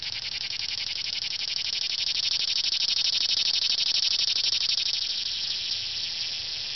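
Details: Summer cicada filmed close up in Franconia, Pennsylvania, giving a continuous loud shrill buzz with rapid pulsing, swelling slightly in the middle then easing, sustained for the whole seven seconds with no other clear sounds.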